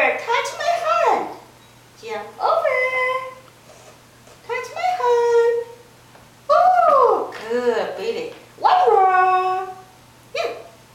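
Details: A female Siamese cat, asked to "say meow" while doing tricks, gives a series of loud, drawn-out meows that rise and fall in pitch.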